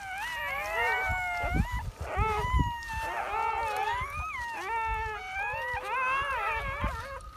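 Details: German Shepherd newborns calling just after birth, after labour from 5 a.m. into early afternoon; drawn-out, wavering whimpers overlap steadily, with thumps and handling noise underneath.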